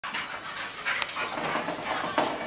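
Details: A pit bull and a bull terrier playing together, one dog panting in quick breathy bursts with a short whimpery note near the end, a human voice briefly audible.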